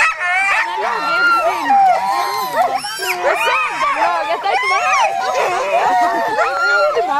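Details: Alaskan huskies, sled dogs at a dog-sledding gathering in Målselv, Norway, 18–20 September 2009: many dogs barking and yipping together in a dense, continuous chorus of overlapping rising and falling yelps, with a person speaking.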